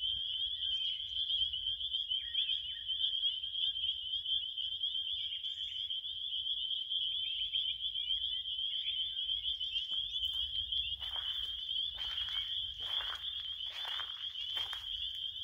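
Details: Continuous high-pitched cricket trilling, unbroken and even throughout, joined in the second half by several short rustling or crackling bursts.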